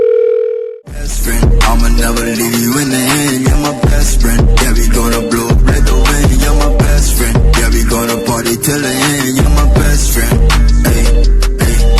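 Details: A short steady beep gives way to loud hip hop music with punchy drums and bass, and no animal is heard.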